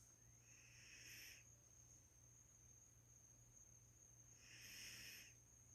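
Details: Female Labrador Retriever asleep and snoring: two breathy, hissing bursts about three and a half seconds apart, each rising and fading smoothly, over a quiet room with a faint steady high-pitched whine.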